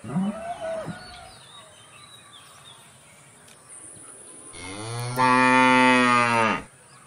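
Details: A cow gives one long, steady, deep moo of about two seconds that swells louder partway through. It is preceded by a few faint, short sounds and a quiet background.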